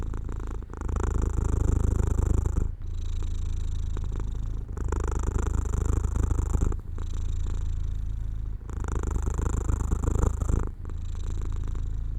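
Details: Domestic cat dozing off near an open window in sunshine; a loud, deep, steady purr runs in long bursts of about two seconds, each broken by a brief pause for breath.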